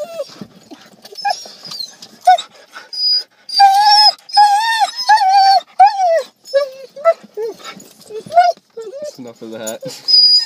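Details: Several Siberian Huskies vocalizing excitedly on arriving at a dog park: loud, wavering whiny howls and yelps in rapid overlapping bursts, pitched and bending up and down, with a person's voice briefly heard.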